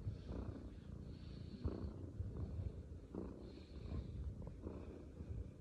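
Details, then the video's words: A male shelter Maine Coon kitten purrs steadily, a low continuous rumble with soft rhythmic pulses. "Leo the Shelter Maine Coon Kitten shows off his lovable purring side"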